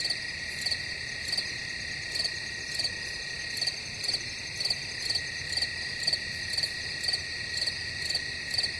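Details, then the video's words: Steady cricket chorus: a high, continuous shimmering trill with brief, sharp chirps repeating at a regular rhythm, roughly twice a second. "Crickets Sound Effect"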